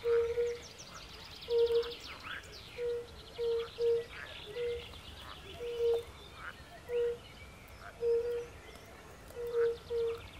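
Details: Chorus of European fire-bellied toads beside a forest pond, with pool frogs present: short, low hooting notes about once a second, overlaid by busy rattling and croaking from other frogs.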